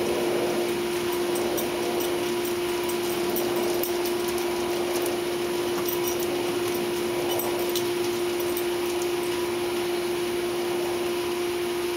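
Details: A loud constant mechanical hum with a steady tone runs throughout indoors, with no animal sound.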